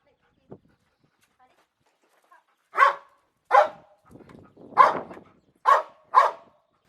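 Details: House dog barking during training to bark on the cue "speak": after near silence, five sharp, short barks about a second apart, with a faint grumble between the second and third.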